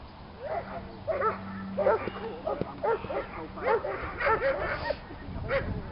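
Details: Marco, a Doberman on a club's protection training field for the first time, barks in a rapid series of short, sharp, harmonic-rich barks about every half second, over a low steady hum in the first half.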